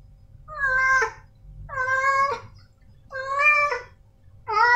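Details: Male domestic cat uttering four short, insistent meows roughly once a second, each rising slightly then breaking off, over a low background rumble.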